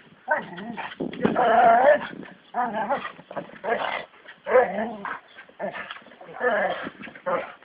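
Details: American Staffordshire Terriers Brunó and Shába during training: a string of short, harmonic barks and whining yelps in uneven bursts, with a human voice in the background.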